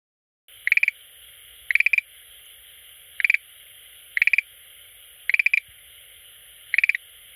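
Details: Schlegel's green tree frog that comes daily to an aquarium and calls there: short bursts of rapid clicking pulses, three to five per burst, repeated about once a second against a steady high hiss.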